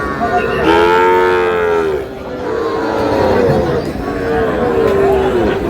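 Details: Moulvibazar cattle market scene with Sahiwal breed bull calves, 15 June: one strong, rich lowing call lasts over a second near the start, followed by fainter drawn-out moos amid the murmur of a crowd of people.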